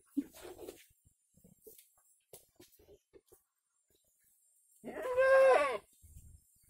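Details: Kampung goat, an active village goat, giving one loud wavering bleat with a strong harmonic stack near the end, after scattered soft knocks and rustling.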